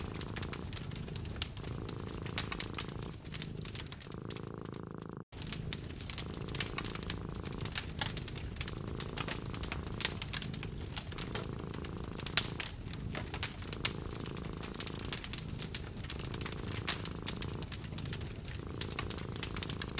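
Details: Contented cat curled up beside a fireplace with eyes closed, purring with a low, steady rumble beneath dense crackling and popping from burning logs that fills the whole stretch; a brief silent break near five seconds.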